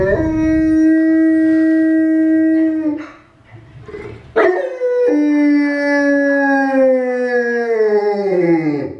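A Newfoundland dog howls in long, sustained tones, first level and then sagging slowly downward. After a brief pause a second howl starts with a sharp rise and falls away over several seconds.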